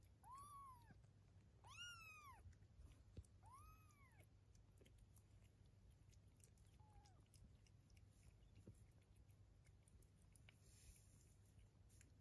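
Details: Indoor cat family, a mother with kittens aged 23 days; three clear arched meows come in quick succession at the start, then a fainter short one, over a constant low room hum.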